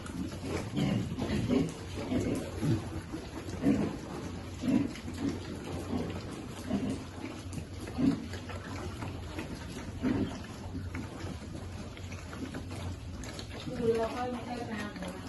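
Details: Piglet waiting to eat, grunting low and short about once a second in a loose rhythm, the grunts fading later on, with a steady patter like rain underneath and a faint higher squeal near the end.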